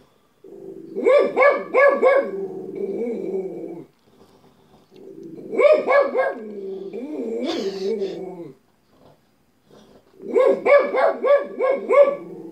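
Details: Pet dog barking in three loud bursts of rapid, harsh barks separated by short quiet gaps, with some lower growly sounds between barks.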